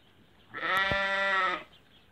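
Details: Hungarian Merino sheep giving a single steady bleat of about one second, a rich harmonic, slightly nasal tone held level before stopping, against a quiet background.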